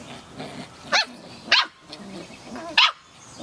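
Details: Playing Samoyed puppies: three sharp, high-pitched yapping barks spaced irregularly about a second apart, over faint background noise.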